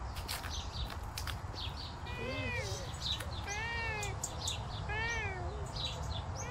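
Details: Savannah cat on a summer walk outdoors, giving three drawn-out, wavering meows in quick succession, each a rich tonal cry with a slight bend. High, thin bird chirps flicker in the background over a steady low outdoor rumble.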